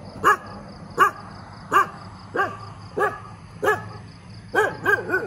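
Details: Dog barking in the morning, barking a lot: sharp single barks repeated about every 0.7 seconds, nine in all, the last few coming closer together over a low steady hum.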